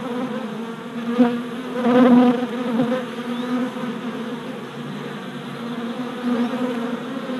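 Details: Worker honey bees circling their new hive on orientation flights, April 2017, captured on a GoPro: a steady multi-bee hum with louder close fly-bys around the second and third seconds.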